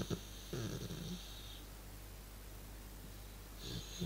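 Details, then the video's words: Relaxing dog, indoors, making a funny low noise: a rough, snore-like grumbling breath lasting about a second near the start, then a quiet pause, then a shorter second rumble at the end, with a faint steady hiss behind. "Dog makes funny noise when he is chilling"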